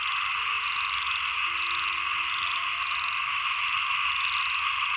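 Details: Late rainy season into early cold season, many frogs calling together in a thick, unbroken chorus of rapid pulsed croaks, while a faint low steady hum runs through the middle seconds.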